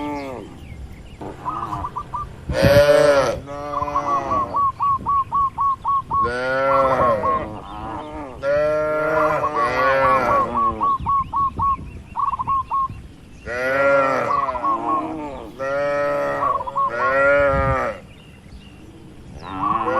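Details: Tame cattle in a large barn: overlapping short and long moos throughout, with a sharp loud burst near the start and rapid repeated chirps between calls.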